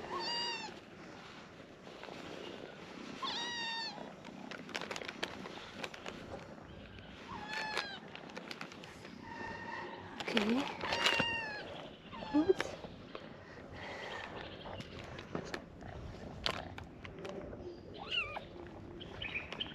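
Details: Abandoned stray kittens, hungry and waiting to be fed in the morning, giving repeated high, arching meows every few seconds, with several voices overlapping amid clicks and handling noise.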